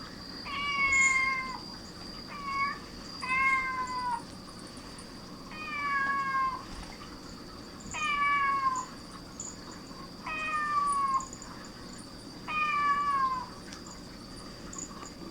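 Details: Cats gathering at the sound of a cat's meowing: seven drawn-out, slightly falling meows, one every one to two seconds, heard over a steady high-pitched electronic whine and a faint low hum.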